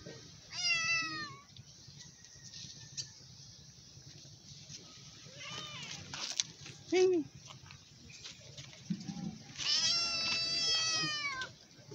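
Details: Hungry stray cat meowing loudly while asking for food: a loud harmonic meow near the start and a longer drawn-out one near the end, with quieter sounds and a low background hum between them.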